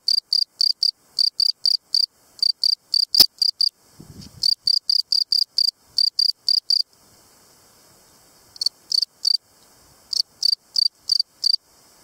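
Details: A field cricket, Gryllus campestris, sings loud, shrill chirps, each a quick burst of pulses, repeated several times a second.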